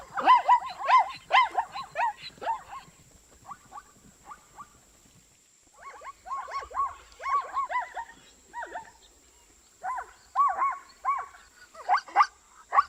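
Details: A long bout of zebra barking: a dense opening burst, a quieter stretch of scattered notes, then renewed runs of arched, harmonic yelps in clusters. A steady faint high whine persists.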